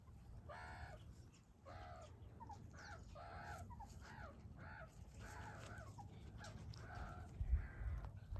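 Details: Young meerkats wrestling and playing tag, giving short nasal harmonic calls in an uneven series, roughly two to three per second, over a low steady rumble of background noise.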